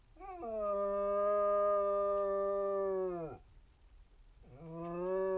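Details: Basset Hound howling: a long, steady, mournful tone held for about three seconds that drops away at the end, then after a short pause a second howl rising and holding level.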